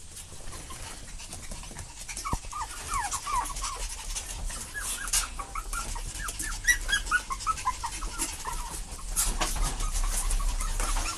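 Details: Puppies following after their parents give a run of short high whimpering squeaks, many small rising and falling yelps crowded between two and nine seconds over a steady background hiss.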